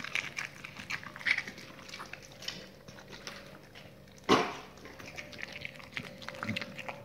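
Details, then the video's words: Dogs eating raw meaty salmon bones and raw chicken carcasses; soft crackling chews, then one sudden loud bone crack at about four seconds, followed by quieter irregular crunching. "dogs eat raw meaty bone salmon and raw chicken carcasses [ASMR] 動物の咀嚼音"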